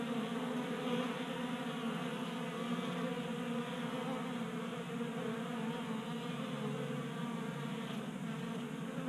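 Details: Honey bees at a 3D printed tray feeder in a Colorado garage, kept active by unseasonal January heat. Their buzzing produces a constant deep drone, steady in loudness, with a soft higher hum layered over it.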